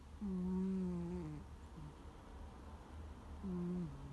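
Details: Sleeping domestic cat snoring loudly like a middle-aged man, 'guu guu': two low, droning, slightly falling snore tones about three seconds apart, over a quiet indoor hum.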